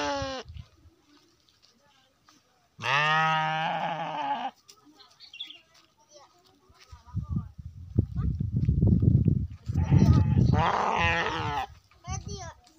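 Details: A Garut sheep gives a loud, wavering bleat, then a second shorter bleat, as a person talks.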